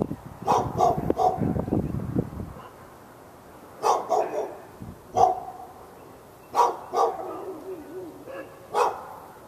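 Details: Dog in a Raleigh, North Carolina, yard on February 15, 2012, barking non-stop at other dogs within earshot: barks in pairs and singles, the opening seconds covered by a low rumbling noise.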